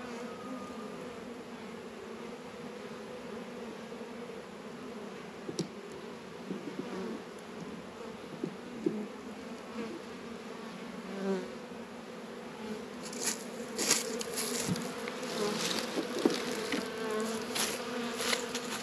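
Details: Steady low hum of honey bees busy at the hive on a warm 72-degree February day in a northern Kentucky apiary, with frequent short clicks and rustles and a louder patch of bright crackling noise near the end.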